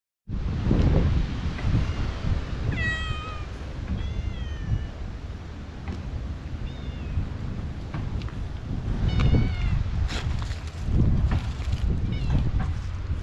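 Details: Stray cat met in a park, clinging to a person's legs: two clear rising-falling meows around the third and fourth seconds and another pair near the ninth, over loud low rumbling and handling noise.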